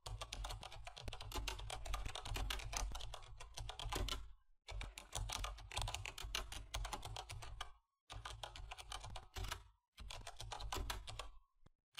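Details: Rapid clattering keyboard typing in bursts with short pauses, over a low hum, and no animal voice.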